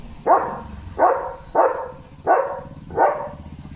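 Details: Leo, a German Shepherd guarding the gate as sheep walk past, gives five evenly spaced barks roughly every two-thirds of a second, steady and insistent, with faint low background noise.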